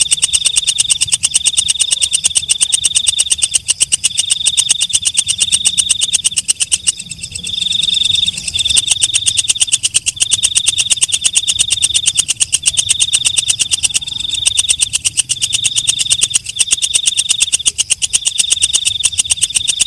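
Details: Katydid (walang kecek, night grasshopper) calling at night: a dense, rapid ticking buzz held high and steady, broken into long trilled phrases by short pauses, with a brief dip near the seventh second. No other sounds stand out.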